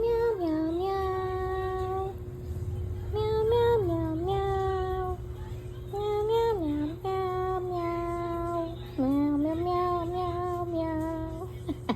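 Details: A voice sings a slow melodic tune in held, sliding notes over soft background music, with no animal sound.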